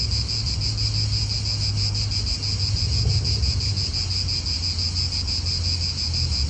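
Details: Cicadas in an Italian park keep up an unbroken, rapidly pulsing high buzz. A steady low hum from a nearby car lies underneath.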